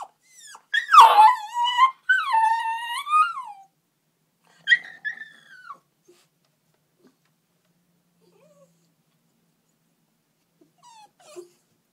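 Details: Sad puppy crying after its owners left for the shops: loud, wavering, harmonic-rich whines in two long bursts, then a shorter cry and faint whimpers trailing off into quiet.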